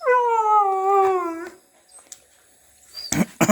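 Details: Indian pariah dog (desi dog) howling in a drawn-out, harmonic wail that drifts gently downward and breaks off after about one and a half seconds. A pause follows, then a few sharp clicks and thumps.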